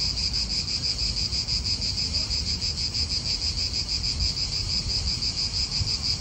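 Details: Cicadas singing in an Italian park, a loud pulsing buzz beating about three times a second, with light wind noise below.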